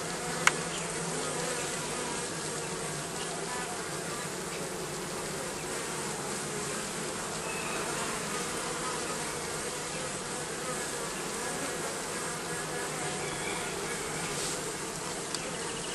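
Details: Sustained droning of numerous bees living under the roofing, an even, thick buzz that barely varies, with a single sharp click at the start and a faint tap near the end.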